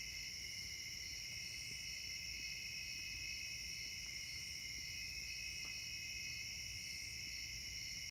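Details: A steady summer insect chorus of high, continuous buzzing trills layered in several pitches.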